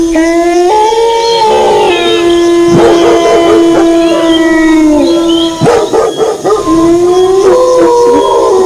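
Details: Chorus of wolf howls accompanied by dog barking: overlapping held howls, several dipping then rising again, interrupted by quick barks and whimpering yips.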